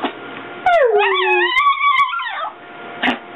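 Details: Three-legged female Chihuahua puppy, a very vocal dog, making a "talking" sound meant as "I love you": a drawn-out, wavering whine-howl with several rising and falling pitch bends, lasting about two seconds, with music in the background.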